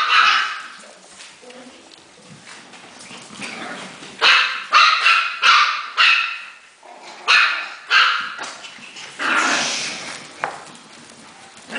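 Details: Havanese puppies excited at play indoors: bursts of high, yappy barks, irregular at first, then rapid runs of sharp barks about twice a second, with a few squeaky yips between.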